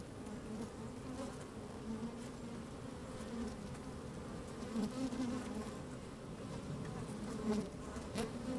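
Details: Working honey bees heard from inside an opened hive on a sunny, slightly windy day; continuous low drone with layered harmonics, occasional sharper buzzes swelling around five and seven and a half seconds, faint crackles of movement.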